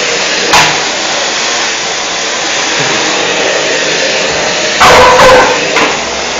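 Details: Gresca, a five-month-old female dog, confronts a vacuum cleaner. The machine roars steadily throughout, then a short burst of loud, harsh barks breaks through near the end before the vacuum noise resumes.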